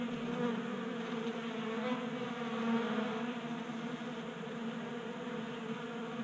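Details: Honey bees crowding a 3D-printed bee feeder in a Colorado garage, active in a warm January spell; a thick constant hum of wings that rises briefly in the middle.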